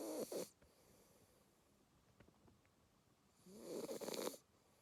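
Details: Sleeping Labrador Retriever puppy, two months old, giving a short raspy snort of breath, then a longer rough, rattling snore about three seconds later, with near silence between.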